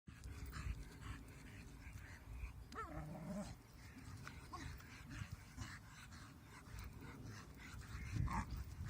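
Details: 10 A dog in low light, trying to moonwalk with a huge stick while being shouted at, makes odd low grumbling and whining noises mixed with panting breaths.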